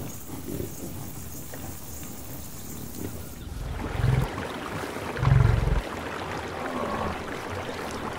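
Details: Buffalo in the wild on the savannah: two short, deep, low grunts about a second apart, the second louder, over a steady rushing background noise.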